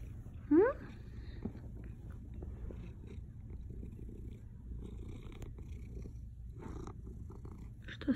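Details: Hard, continuous low purring from a male house cat, a rough even rumble throughout; a short rising squeaky sound near the start and another at the very end, with faint Russian speech nearby.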